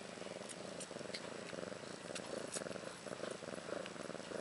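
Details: Ashley the house cat, about one year old, beside newborn daughters Maggie and Rose, born March 30th 2013; a close, regular purr beats in quick low pulses, with light ticking sounds above.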